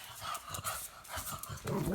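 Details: Pug named Sophie at play with her owner indoors, making funny noises: a run of soft snuffling grunts and wheezy snorts over two seconds, ending in a louder throaty grumble.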